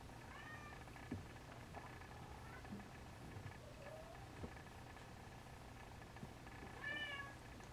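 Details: Siamese kittens, 44 days old, give thin, high, wavering mews: a short one at the start, a soft one near four seconds, and a louder, clearer mew near seven seconds, over a faint steady indoor hum.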